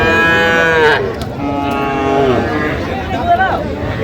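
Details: Sahiwal bull at a cattle market in Sylhet, Bangladesh, on 10 January 2026, bought by a farmer. A long harmonic moo lasting about a second opens, followed by further lowing, with buyers' voices and market chatter behind.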